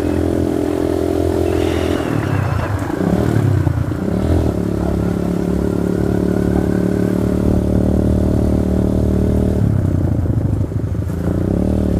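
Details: A steady engine drone with clattering and scraping, like a motorcycle idling and revving, and no animal voice.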